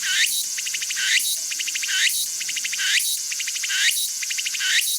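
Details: Walker's cicada (tsukutsuku-boshi) calling: a steady high whine with rapid pulsed bursts, each ending in a rising sweeping phrase, repeated about once a second.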